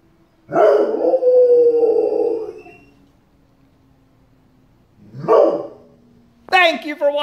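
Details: Pet dog howling in response to a tornado siren, giving a long wavering howl followed by a shorter one after a pause; a sharper, higher harmonic-rich sound, possibly speech, cuts in at the end over a faint siren tone.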